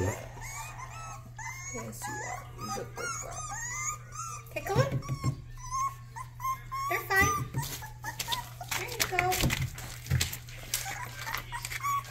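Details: Rottweiler puppy giving its first barks while attempting to drink water: short, sharp broadband barks burst out around the middle and end, over steady talking indoors and a low constant hum.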